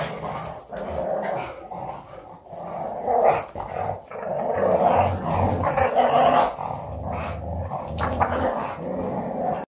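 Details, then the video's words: Female pug growling fiercely while playing with an Australian Shepherd: almost continuous rough, gravelly growls in rapid bursts, swelling and fading, with short yips and scuffling play noises mixed in. "Small dog big growls"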